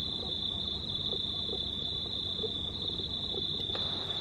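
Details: Night chorus of crickets beneath a near-full moon, 19/03/2019: an unbroken shrill trill at constant high pitch, with faint soft low blips scattered underneath and a brief click near the end.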